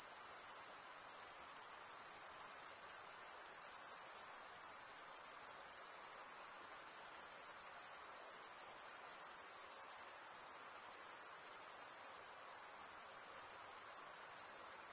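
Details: Crickets chirp by rubbing one wing against the toothed vein of the other, making a continuous shrill chorus at a very high pitch. The chorus stays even in loudness, with only slight dips now and then.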